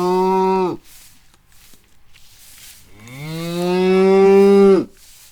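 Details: Cow mooing twice: a short low moo cut off abruptly, then after a pause a longer, louder, steady lowing call that swells and ends sharply, with a quiet background.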